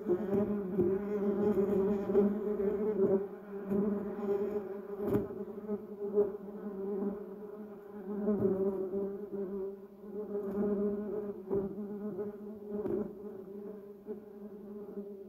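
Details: Multiple bumblebees around flowering yellow cassia and duranta erecta produce a sustained, low, harmonic-rich buzz that waxes and wanes over fifteen seconds, with occasional soft clicks and knocks.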